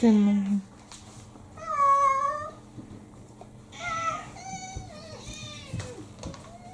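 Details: Indoor cats asking for food right after waking in the morning: a string of loud, wavering meows, some bending downward, with a brief human voice at the start and quiet room noise between calls.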